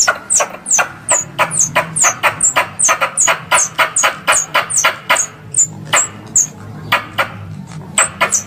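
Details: Squirrel lure call for hunting, Indonesia: rapid high chips fall in pitch and tumble out about three per second, each paired with a sharp click, over a low droning background.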